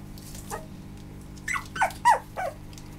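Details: Small male Maltipoo puppy letting out a few quick high yips, three of them close together near the end, each short and slightly downward-bending, in a quiet room.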